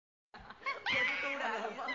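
A chimpanzee lets out a shrill, strained howl that rises and holds on a high, harsh note.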